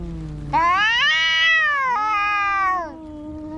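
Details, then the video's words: Cats in a fight, one long, strained yowl rising then sagging over about two and a half seconds, with lower growling undertones beneath and a fresh cry starting at the end. "Som de gatos brigando"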